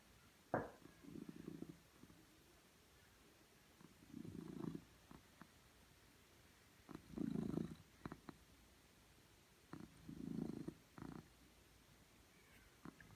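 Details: Pet cat purring on a laptop; deep rumbling swells rise and fade about every three seconds, each lasting under a second, with occasional sharp clicks in between.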